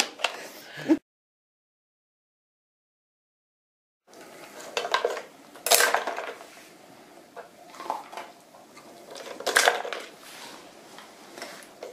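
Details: Indoor clattering of hard objects, like dishes and cutlery, breaks off into three seconds of silence, then returns as scattered knocks and rattles.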